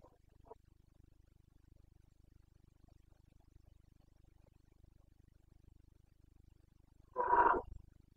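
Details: Wild Carpathian stag bellowing in the breeding season in Bucovina's mountain forests, 29.09.2022; after a long quiet stretch with only a faint low hum and a soft earlier note, a single loud, hoarse roar bursts out near the end.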